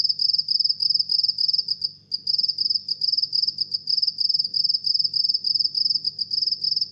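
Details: Steady midnight chirping comes from a house cricket: bright, high trilled chirps at an even pace of about three per second. There is a single brief gap, and a faint low background hum.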